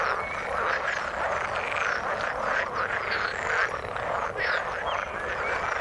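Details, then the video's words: Overlapping croaks from many frogs in the water form a steady, buzzing chorus. Brief clear chirps pop up now and then above the dense mass of calls. "Frog sound in the water"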